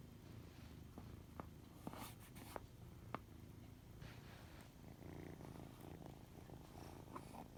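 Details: White odd-eyed kitten gives a continuous low purr, with scattered small clicks and brief rustles over the rumble.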